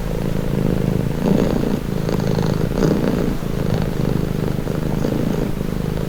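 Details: A cat purring steadily as a calming sound, a low throaty rumble with rapid fine pulses, gently swelling and fading with each breath over six seconds, no background noise.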